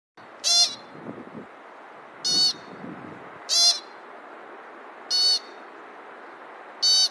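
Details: Pika squeaking: five short, sharp, high-pitched squeaks, each a brief bright burst, repeated about every one and a half seconds over faint background hiss with a few soft low rustles early on.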